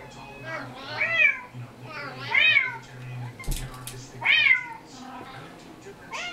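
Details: Recorded kitten mewing played to the household cats in a small room: three drawn-out, bending meows, with background noise, a brief knock and a faint final mew.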